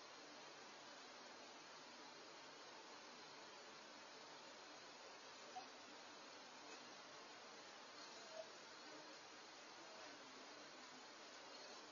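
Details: Faint steady hiss of a quiet room at night, with a couple of tiny clicks and no animal sounds.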